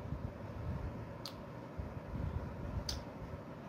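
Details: Only a low, steady indoor rumble is heard, broken by two brief sharp clicks, with no animal voice.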